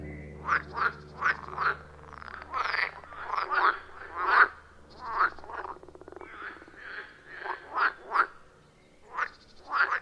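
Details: Wild frogs at a quiet forest pond, recorded with an iPhone 14 Pro and Shure MV88+, giving short separate croaks spaced irregularly about every half second to second, some in quick pairs, against a faint low hum.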